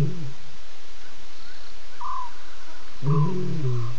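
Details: A lioness visiting a waterhole around 12:30 a.m. on September 12 gives deep, low moaning contact calls, the last one swelling louder and rougher.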